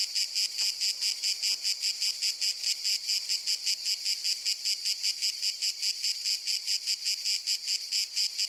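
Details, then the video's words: Steady pulsing cicada call, a harsh high-pitched buzz throbbing in regular beats about two to three times per second throughout, with a clean, quiet background. "Sonido de Cigarra"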